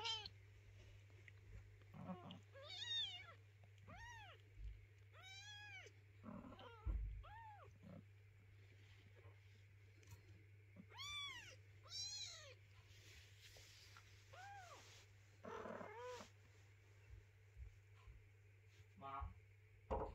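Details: Mother cat with her hungry, crying kitten: repeated high arched meows in irregular bursts across twenty seconds, a few clustered close together, with a steady low electrical hum throughout.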